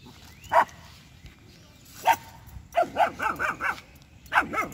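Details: Two-month-old female German Shepherd puppy Jass barking aggressively at a street dog and buffalo: two isolated yaps, then a quick run of five high barks and a final pair, outdoors.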